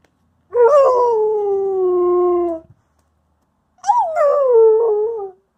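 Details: A female Wolamute dog practising her howl before chasing off a German Shepherd Husky: two drawn-out tonal howls, the first about two seconds sliding slowly downward, then a pause and a second wavering howl that rises briefly and falls.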